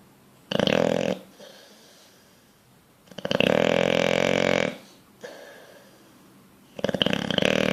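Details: Bulldog deep asleep while dreaming, snoring in a regular cycle: rough, rattling inhaled snores of one to one and a half seconds alternating with quieter exhaled breaths and gaps.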